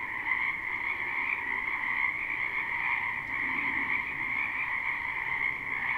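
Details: Spring wetland frogs in a live, unlooped recording: a continuous wall of croaking, many voices blending into a steady buzzing trill with a mid-pitched layer and a brighter upper layer, constant in loudness.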